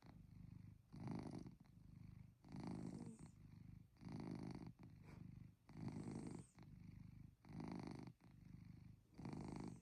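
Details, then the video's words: Chloe, a pet cat, on a cozy night indoors, gives a rumbling motor-like snore: deep, rhythmic breaths in regular bursts roughly every one and a half seconds, steady and low, with a quiet room behind. "Chloe’s Motor Snoring"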